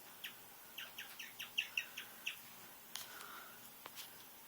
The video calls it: Strange noises from my guinea pig